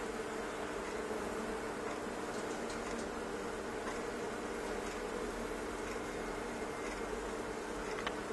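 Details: A mass of honey bees, thousands of them, invading a fireplace stove indoors. A continuous low droning buzz holds steady, with occasional light clicks and knocks rising above it.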